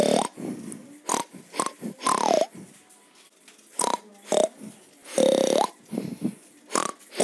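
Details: A pig (Sus scrofa domesticus) gives a run of short, rough grunts broken by a few brief, higher squeals.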